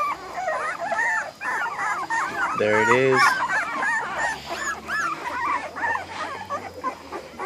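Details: A litter of American Bully puppies from ABKC champion parents squeals and whines continuously, with rising-and-falling yelps piling over one another. A man's voice speaks briefly near the middle.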